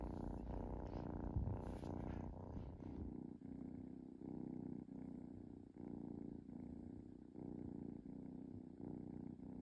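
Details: Relaxed kitten purring, opening with a few seconds of rustling and handling noise, then settling into a rhythmic low purr with regular breath-paced pulses.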